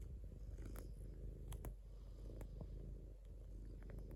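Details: Deep, even purring from a domestic cat, a dense low rumble pulsing rapidly without pause, with occasional faint taps above it.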